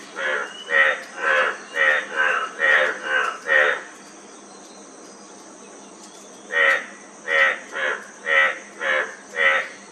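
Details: Frog calling in a run of short, harmonic, croaking pulses about twice a second, then a pause of a few seconds before another steady series of the same rough notes, over a constant high background hiss.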